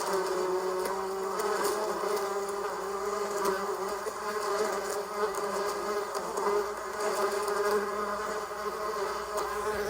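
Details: A bee's continuous buzz: a dense, even drone that holds its pitch for ten seconds, wavering gently in volume, with occasional soft clicks.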